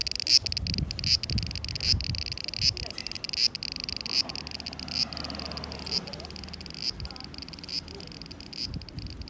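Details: Summer 2020 cicada chorus: a steady high, hissing drone with brief louder pulses early on, over low rumbling background noise.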